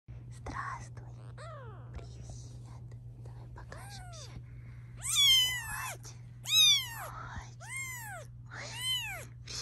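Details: Domestic cat, a mother near her kittens, objecting as her babies are filmed indoors: a series of loud arched meows, rising then falling, repeated irregularly, growing louder midway, with a steady low hum and faint whispering.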